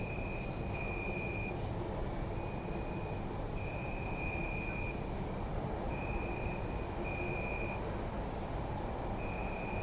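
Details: Crickets at night in a city park, recorded on a Zoom F3: high pulsed chirping trains in long bursts with short gaps, a steadier lower trill switching on and off, over constant low city rumble.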